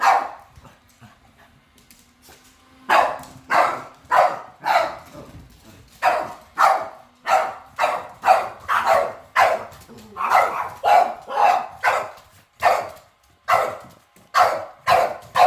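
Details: Dogs barking at a robot vacuum on first seeing it; after a quiet start with a faint low hum, steady runs of loud barks follow nearly twice a second with uneven spacing.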